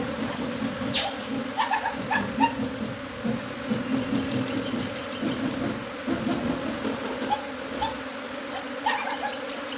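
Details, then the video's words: A swarm of honey bees moving from hive to tree, thick continuous humming of countless wings with louder individual bees passing close, plus faint clicks and light background rumble. "Bees Swarm from Hive to Tree | Buzzing Migration"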